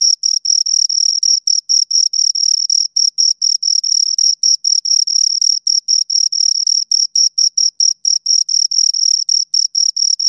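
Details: Close-miked chirping from two crickets: a sustained piercing high tone chopped into quick uneven pulses, almost continuous at times, with no other noise.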